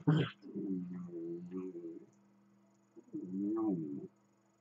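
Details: Dachshund growling and grumbling during play with another dachshund, running around it: two low, rough, droning grumbles of about a second each, separated by a short pause, opening with a brief sharp yelp.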